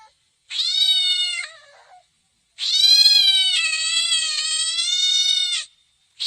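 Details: Pet cat meowing twice: a one-second wail that trails off, then a long, steady, drawn-out meow of about three seconds, strongly harmonic and slightly wavering, with silence between.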